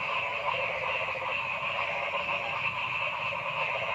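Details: A frog chorus in a forest: steady, loud, buzzy trills from many callers blending into constant bands of rapid pulses, unchanging across the short stretch.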